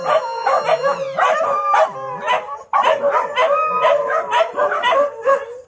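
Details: Woken by a morning siren alarm, dogs including little SoRA howl and yip; choppy bursts of wavering howling broken by brief gaps, with short sharp yelps between sustained notes.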